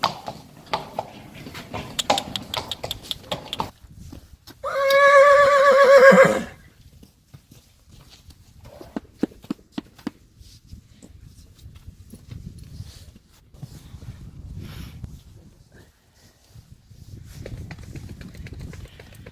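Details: Anko, a three-year-old Friesian colt, playing outside: after some clattering hooves, one loud harmonic neigh of about a second and a half with a wavering, shaky tone, followed by quieter thuds and rustling.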